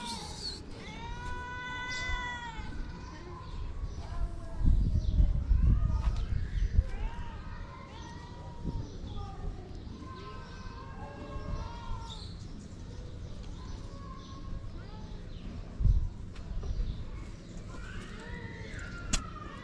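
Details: Feral street cats, a mother cat seeking affection with her shy kittens, give a run of clear, harmonic, drawn-out meows early on, then further wavering meows midway, over low street rumble and human talking.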